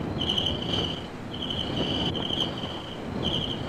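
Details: Crickets give a steady, high-pitched trill in long bursts broken by short pauses over a low, distant rumble, at a South African homestead in Zulu country; a 1956 recording.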